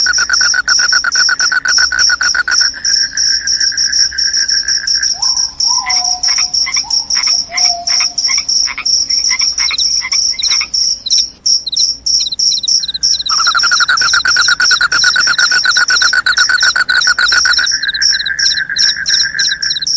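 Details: Continuous high cricket chirping, described as loud and able to repel rats and make listeners drowsy. A lower, fast buzzing trill dominates long stretches, giving way midway to separate pulsed notes and a short gliding whistle.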